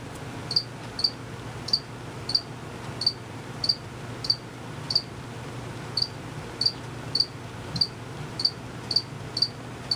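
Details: Unseen crickets chirping steadily, males making the sound by moving their wings quickly: short high pure chirps repeated about every half second, some seventeen in a row, over a faint low hum.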